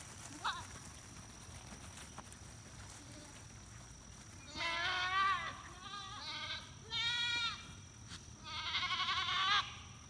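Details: Monastery dairy goats in rural Appalachia heading home through the beehives with their goatherd and guardian dog: four quavering, nasal bleats from several animals after a quiet start, each about a second long, over faint background hum.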